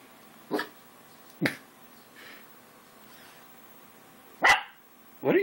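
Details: English Springer Spaniel dreaming during a nap, letting out short muffled barks and yips at irregular intervals, about five in a few seconds, with quiet room noise between them.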